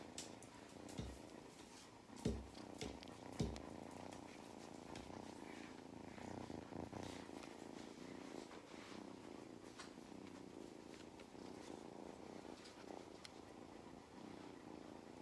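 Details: Mustard the cat purring during belly rubs on a farm in County Kilkenny, Ireland; a softer low rumble continues under several sharp knocks and handling sounds early on, with faint background noise.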